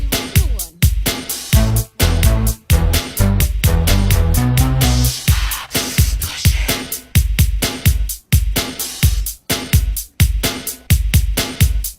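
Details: Upbeat funk-disco music with a steady pounding bass beat and bright instruments fills the whole stretch, with no animal voices.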